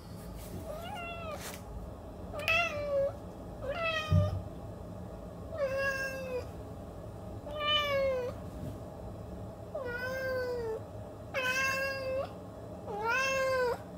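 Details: Domestic cat meowing repeatedly, about ten plaintive meows in quick succession, some short and rising, others longer with a downward slide, against soft room hum.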